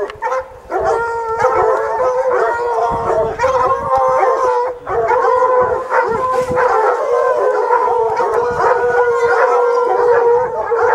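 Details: Hunting hounds baying up a mountain lion in the rocks: several dogs give long, drawn-out, overlapping howling bays in a continuous chorus, with a brief lull near the start and another around five seconds.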